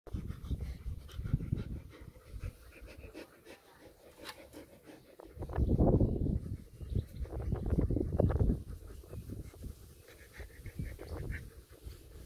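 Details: Black German Shepherds relaxing in the sun, one named Hunter lying in a wheelbarrow; fast, rough, breathy panting puffs, low and uneven, swelling louder in bursts near the middle and later, with faint outdoor background.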